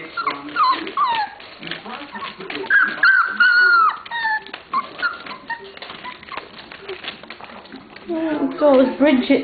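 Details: A litter of 27-day-old puppies playing and interacting with each other, giving thin high squeals and whimpers that bend up and down, mixed with people talking nearby.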